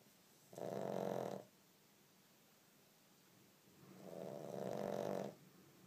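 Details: Pug, awake and not sleeping, snoring loudly: two rough, rasping snorts about three seconds apart, each lasting roughly a second, in a quiet indoor setting.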